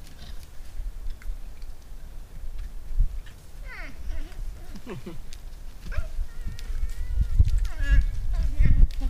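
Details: Moose during the rut, with a bull, cow and calves featured: short, nasal, bleating moans over a steady low rumble of wind.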